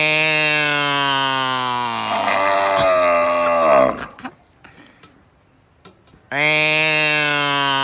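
A cow gives a long, steady, low moo that sags in pitch at the end, then starts another.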